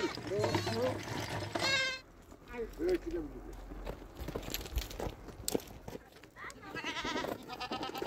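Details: Domestic goats newly bought for milk and yogurt by a nomadic family living in a small mountain house; wavering, quavering bleats at the start and again near the end, with people talking in between.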